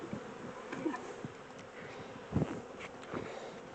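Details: Low humming drone of a caught honey bee swarm as it is shifted from a temporary small box to a larger home, broken by a few soft thuds and taps.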